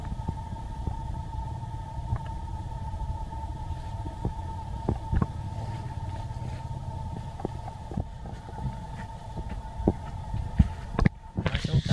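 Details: A vehicle engine rumbles low and steady, with a constant hum and scattered clicks, and no animal calls are heard.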